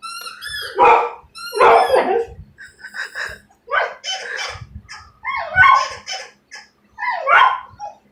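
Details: Domestic dog in a small room reacting to a squeaky toy on TV with a string of loud, rough barks about once a second, mixed with high squeaking from the toy and soft music.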